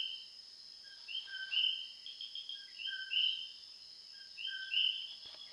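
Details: Common coquis calling loudly at night in Puerto Rico, several frogs overlapping; each call is a two-note "co-qui", a short lower note followed by a higher whistled note, repeated every second or two over a steady high insect hiss.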